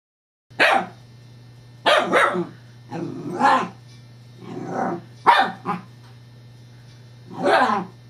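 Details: Scottish Terrier named Evangeline playing with a new teething pacifier toy, the rolling disc provoking her: six short, sharp barks in irregular bursts over eight seconds, some doubled, against a steady low hum.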